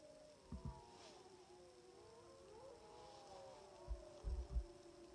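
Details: Timber wolves, sixteen animals, howling on a hillside in southeastern Alaska's Wrangell-St Elias National Park during a September moose hunt, about 700 yards away: tangled sliding howls continue throughout, with a few dull low thumps near the start and end.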